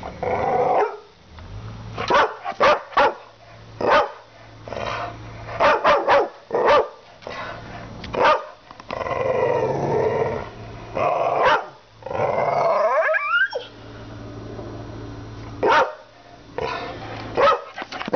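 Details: Two-year-old red Staffy named Maximus, a Staffordshire Bull Terrier of half English, half American breeding, barking at his owner at Banora Point; loud repeated barks mixed with longer growling stretches and a whining rise, low hum behind.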